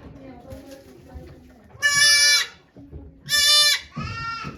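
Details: Goat Okayu giving birth to two kids at Yoshigake Farm on 3 May 2023 among watching volunteers: after quiet murmuring voices, two loud harsh bleats burst out, then a softer falling one.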